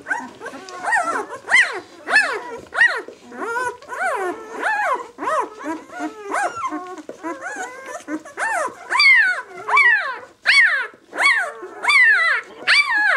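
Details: Six-day-old White German Shepherd puppies from one litter squeal in rapid, overlapping high whines. Each squeak jumps up, then slides down, repeated over and over with no pause. The calls come from several pups at once.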